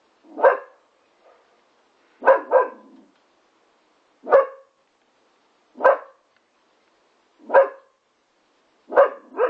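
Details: Labrador x Staffordshire Bull Terrier puppy playing with a trampoline barks in single or doubled sharp yaps, roughly every one and a half seconds, with quiet gaps between.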